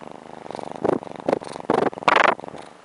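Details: Male Sphynx kitten in Las Vegas, just woken from a nap, purring with a steady rapid low throb; several louder voiced bursts from a person's greeting break over the purr.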